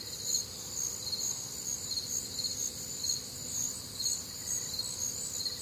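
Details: Crickets calling on a warm, humid Midwestern summer night: high, shimmering chirps pulse steadily about twice a second in stacked bands, a dense unbroken chorus over a soft low rumble of night ambience.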